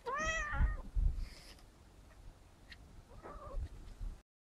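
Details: House cat talking back to its owner, who is chatting in Russian and asking how it is doing: one clear, rising-then-falling harmonic meow at the start, later a faint short second meow, low room rumble.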